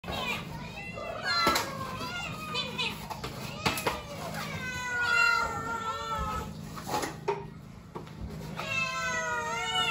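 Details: Several house cats meowing incessantly while waiting to be fed as dishes are washed; repeated rising-falling meows in overlapping runs, with clinking dishes and a faint bright music bed underneath.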